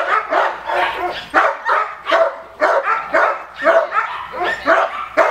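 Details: Male Cane Corso barks in harsh, rasping bursts, about one each second, during attack training.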